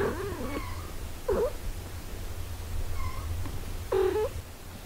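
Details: A cat family with a mother tending her eight-day-old kittens while breastfeeding them; three short, wavering mews in quick succession, some rising then dipping, over a constant low background hum.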